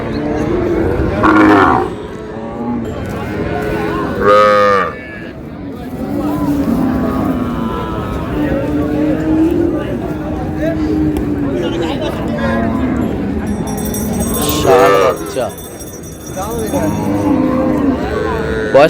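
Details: Cows with calves at Raniganj cattle market (haat), Dinajpur, on June 4, 2026; a couple of brief harmonic moos rise out of constant bargaining voices and market crowd noise.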